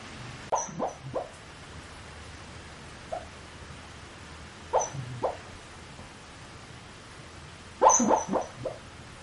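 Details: Pet dog muttering in its sleep, filmed up close with a PowerShot SX30 IS camera: soft short grumbling whimpers in three clusters, each a few quick low murmurs, separated by quiet pauses.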